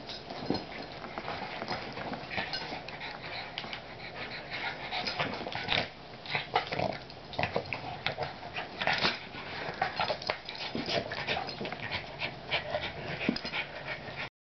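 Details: Two dogs, a French Bulldog and a Boston Terrier, wrestling in a bitey-face play session: continuous scuffling, snuffly grunts and brief growls, dense and irregular, with occasional clatter in the room.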